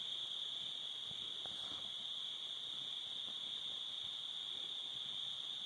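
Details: Summer crickets at sunset beside a cabin fire, an unbroken shrill high trill sustained evenly, a few quiet pops and crackles underneath.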